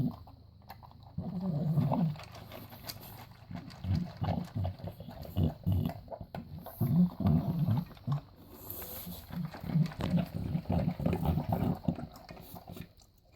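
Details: Six-year-old bulldog eating dry dog food made with chicken, brown rice and oatmeal: low, irregular chomping and snuffling bursts about three per second, with brief quiet gaps between mouthfuls.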